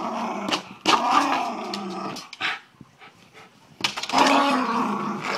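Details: Miniature Schnauzer playing basketball inside: quick snapping barks merging into harsh growls, a short lull with faint scuffles, then another long rough growl.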